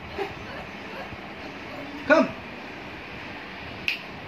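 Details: A 40-day-old Labrador Retriever puppy gives a single short, high yipping bark.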